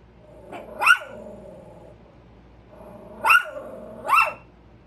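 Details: Pair of Chihuahuas on alert for a squirrel, giving three sharp, high-pitched barks, one early and two close together later, each rising then falling, with a low tonal hum and faint growling between barks.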